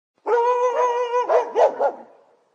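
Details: Guard dogs barking: a long, steady, harmonic whine-like note holds for about a second, then three quick, loud barks follow in rapid succession before fading.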